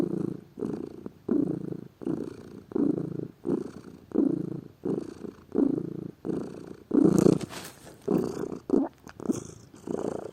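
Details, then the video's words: Lazy pet cat purring continuously, a deep grainy rumble pulsing with each breath about every second, a slightly louder burst with a faint higher rustle around the middle. "Gato Ronronando, Som de Gato, Ronronar de gatos"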